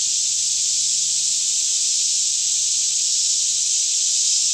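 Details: Daytime chorus of cicadas singing all around in a lush green Kentucky forest near Franklin, about 10am, air fairly still, filmed on a Canon 5D Mk2; a steady, unbroken high-pitched hissing drone with a faint low hum beneath.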